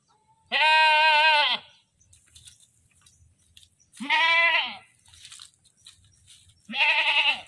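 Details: Screaming goat giving three loud, nasal bleats, each about a second long with a wavering, shaky tone, spaced roughly three seconds apart over low background noise.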